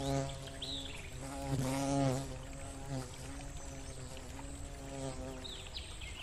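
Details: Bumblebee in a forest beside a gurgling stream, buzzing while looking for a flower: a steady low droning hum with rich overtones that swells and bends in pitch as it passes near, with thin bird chirps and running water behind.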